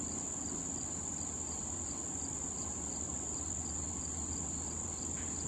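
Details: Crickets near blooming wild thistle in late summer make a seamless high, ringing trill. Faint pulses tick along beneath it, over a gentle low outdoor murmur.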